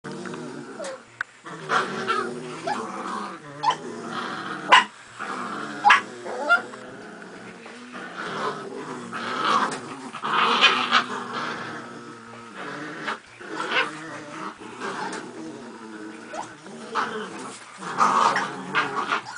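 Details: Several Miniature Pinschers playing tug of war with a toy, giving continuous rough growls with rising, snarling bursts and occasional sharp yelps throughout.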